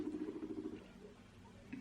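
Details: A pet guinea pig rumbles indoors, a low, fluttering, soft vibrating purr that fades after a moment.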